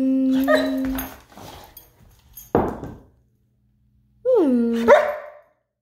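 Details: Playful Rhodesian Ridgeback vocalising indoors, wanting to play: a steady whining howl, scattered soft noises and a short sharp bark, then a swooping yodel-like howl ending in a yelp.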